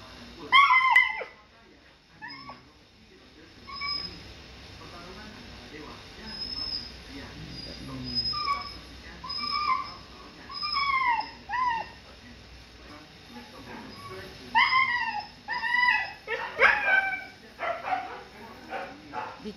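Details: A Siberian Husky puppy with maggots being cleaned from its wound gives repeated high, bent yelps and screams in clusters, quieter whimpering between, while a person speaks soothingly in Indonesian.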